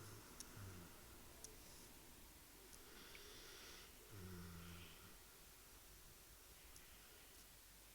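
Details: A sleeping dog snoring indoors, soft low rasping breaths with a rougher drawn-out snore in the middle, against a quiet room hiss with a few faint ticks.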